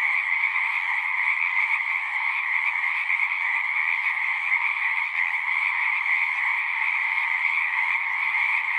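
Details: Frogs singing en masse in nature, a steady shimmering drone of overlapping high-pitched trills with a lower accompanying band, unbroken for the whole stretch, with a faint low thump near the end.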